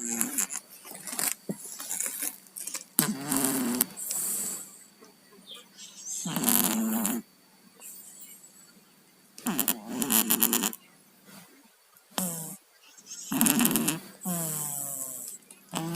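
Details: Stuffy snoring from two sleeping cats named Tayen and Lilu, who have colds: harsh rattling breath bursts about every three seconds, each lasting around a second, with soft wheezes in between, recorded indoors.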